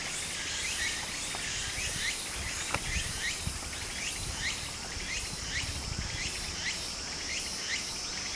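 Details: Summer cicada chorus by a Japanese brook, rapid buzzy pulses and short rising chirps layered high above constant rushing stream water, with a few soft knocks.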